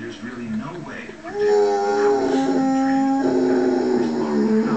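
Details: A Mastiff watching a wolf documentary on TV howls in long, steady, wavering tones, answering the wolf howls on screen, with the narrator's voice behind.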